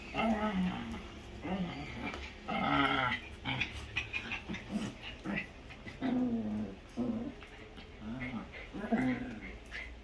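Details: Small pet dogs playing together on a Sunday morning before rain, one biting the other too hard; repeated whining yelps and low growling come in short bursts through the clip, with a person's voice faint in the background.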